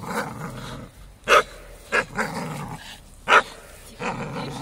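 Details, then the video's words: Play between a four-year-old Staffordshire Bull Terrier and a young American Staffordshire Terrier of five months: grumbling growls broken by three short, sharp barks about a second apart. "Staffy vs Amstaff"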